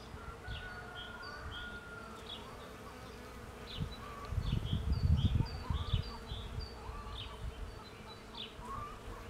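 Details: Bees gathering pollen from a cherry tree make a steady, low droning hum that holds throughout. Many bright bird chirps and short whistles sound above it, and a burst of low rumbling noise swells near the middle.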